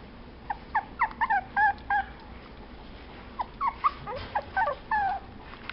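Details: Chihuahua giving high, squeaky, whining whimpers in quick irregular bursts, several short nasal yelps packed closely together, then a pause before another run; indoors with a faint low background hum.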